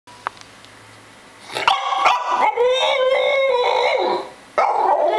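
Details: Nikos, a seven-month-old French Bulldog, complains about not getting enough treats: a loud, drawn-out whining howl with wavering harmonic pitch, lasting about two and a half seconds, then a fresh outburst near the end.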